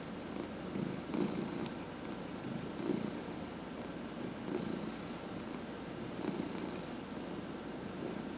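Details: A 14-and-a-half-year-old house cat purrs during a head massage: a low, throaty vibrating rumble that rises and falls with each breath, roughly every one and a half to two seconds, with soft brushing noises of hands on fur.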